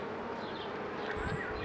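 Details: Brief steady hum of honey bees at a Mini+ hive being opened by a beekeeper in 2018, an even drone with no pause.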